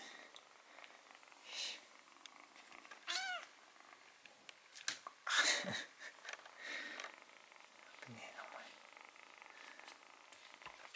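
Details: Rescued white kitten, found near death crouching at a home's front door as winter began, gives a high arched meow with stacked harmonics near the middle, amid soft purring, indoor voices and handling noises.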